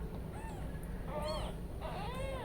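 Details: Newborn kittens left alone while the mother cat steps away, described as searching for their mother; several faint, short, wavering high mews in quick succession over steady low background hum.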